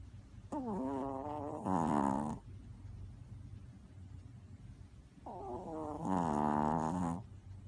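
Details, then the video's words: A sleeping dog snoring: two long breaths about five seconds apart, each opening with a falling nasal whine and swelling into a loud, rattling, tonal snore, with quiet pauses between. "Snoring Dog"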